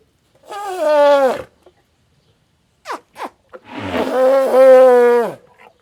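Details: Loud elephant calls with strong harmonics. A falling call of about a second comes first, then short faint bursts, then a longer sustained call that sags in pitch at its end.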